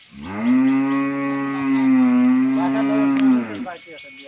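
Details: Deep, sustained bellow from a Sahiwal-Brahman cross bull, an improved breed being sold at a dairy farm in Bangladesh; one even, resonant moo of over three seconds, with a man's voice afterward.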